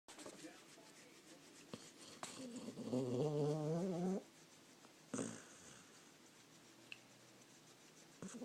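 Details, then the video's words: Sleeping dog giving one drawn-out, wavering snore of about two seconds with a low, fluttering, tonal quality, followed by quiet breathing and a couple of soft clicks in a small indoor space. "Dog snoring."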